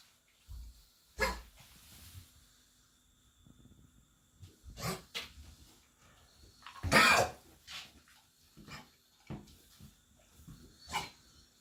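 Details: A Labrador Retriever gives harsh, explosive hacking coughs from kennel cough, an infection caught while boarded in an outdoor kennel for several days and treated with antibiotics.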